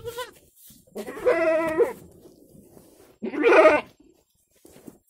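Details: Active village goat (kampung goat) giving loud, wavering nasal bleats, each lasting under a second, with a short bleat at the start and two longer ones about two seconds apart, quiet between.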